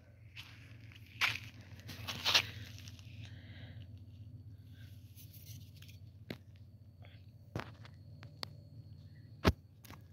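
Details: Crunching footsteps, scraping and a few sharp clicks over a low steady hum, with no animal calls. Only handling and movement noise is present outdoors.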